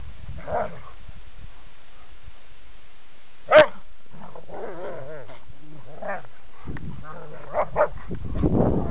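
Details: Two pet dogs; one sharp bark near the middle, then a run of short wavering whines and grumbles with a few soft yips, ending in a louder growly burst, over a quiet steady background hum.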